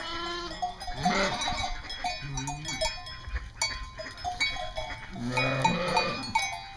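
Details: Flock of East Friesian dairy sheep at Karras Farm in North Carolina giving several quavering bleats, one near the start, another mid-way and a louder one toward the end, with music playing underneath throughout.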